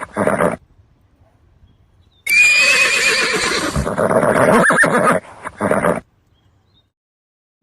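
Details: A horse neighing: a short burst at the start, then a long, loud, quavering whinny of about three seconds that falls away, followed by one brief closing snort-like call. No other sounds.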